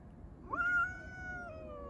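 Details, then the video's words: One of the street cats fighting over the litter box lets out a single sharp yowl that rises quickly and then holds a long, steady, slightly falling tone. "Street cats fighting and making strange noises over the litter box !!!"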